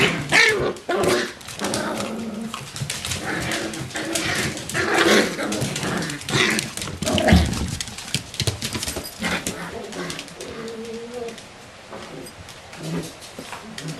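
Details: Nine-week-old Bichon Frisé puppies of a single litter making scattered high yips, small barks and whimpers amid constant scuffling, tapping and knocking, in a busy indoor play scene.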